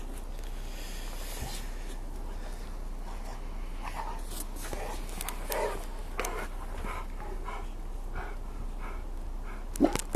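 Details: Two dogs, Cassie, a 5-year-old Rottweiler, and Rocco, a 10-month-old Bullmastiff pup, playing in the snow, catching snowballs and eating snow; soft rhythmic breathy panting bursts, strongest mid-clip, over a low steady background hum with a sharp click at the end.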